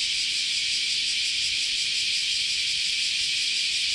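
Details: Steady wall of cicada song in Kyoto's Chionji Temple grounds during Japanese summer: high, sizzling buzz held without a break, faintly throbbing in quick regular beats.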